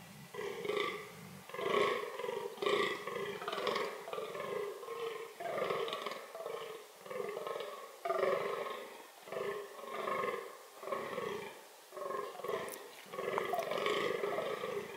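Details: Fallow deer (Dama dama) calling as part of its reproductive strategies: a continuous run of rough, guttural groans, each about a second long, following one another with brief gaps and little background noise.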